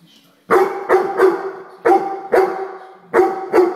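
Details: A Weimaraner barks at a common housefly in loud, sharp bursts, often two close together, every second or so.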